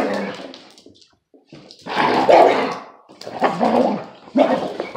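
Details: Kangal bloodhound mix pup and a Presa dane mix tormenting an old lurcher terrier mix in play; bursts of grumbling growls and yelping barks separated by short silences, the loudest near the middle.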